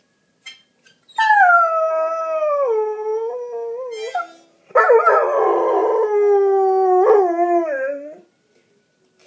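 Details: A Goldendoodle howls to badly played harmonica, giving two long drawn-out howls separated by a short pause, each sustained and gently wavering, the second rougher and breathier before falling away.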